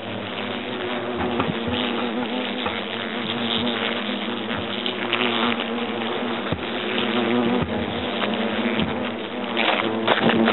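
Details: Swarm of European hornets buzzing while their nest in the trunk of an oak at Agen, France, is being destroyed; an unbroken, rough droning hum of many wings, rising slightly in loudness toward the end.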